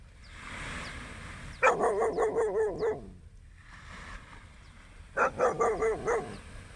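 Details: Dog barking at sunrise during a beach walk: two rapid bursts of about six harsh barks each, separated by a quiet pause, with faint high chirps and a soft steady outdoor hiss behind.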